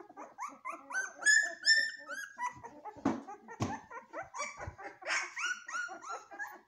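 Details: Golden Retriever puppies giving a rapid string of short, high, rising-and-falling whines and yelps, several voices overlapping, broken by a couple of dull thumps midway.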